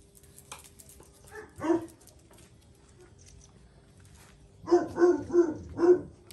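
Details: Jack Russell Terriers Paris and her son Oscar, with Paris teaching Oscar a lesson: a single sharp bark, a quiet pause, then four quick, punchy barks in a burst near the end.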